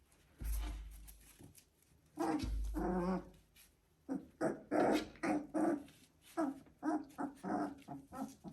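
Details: Three-week-old Border Collie puppies make short whiny grumbles and squeaky yelps in a quiet room.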